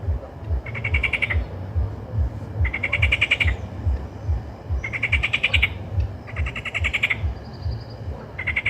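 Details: Frogs croaking: longer grating bursts of fast pulsed notes come roughly every two seconds, set against continuous low pulsing croaks from other frogs.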